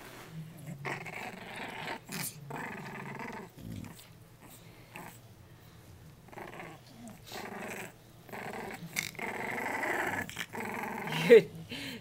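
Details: Three-week-old puppies Jacob and Jordan, offspring of Abby and Diesel, play-fighting indoors; rough, buzzy growls come in repeated bursts with short squeaky yips between them, while a person talks softly to them.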